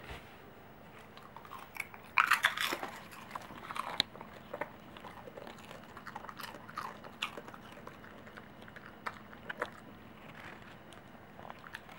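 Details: Crunchy biting and chewing in a small indoor room, with no animal calls heard.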